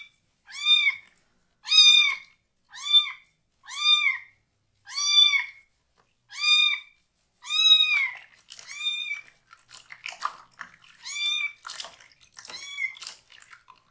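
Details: Rescued foster kitten, one of three siblings still needing toilet help, crying loudly and angrily while its lower body is washed indoors; seven clear, rising-falling harmonic meows about one per second, then fainter meows amid washing and rustling noise.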